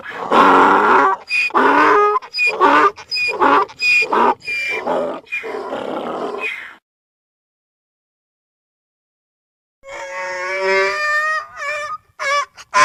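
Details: Donkey bray of loud, rasping, pumping hee-haw strokes for about seven seconds, then silence, then a squealing, strained, tonal bray that breaks into choppy bursts.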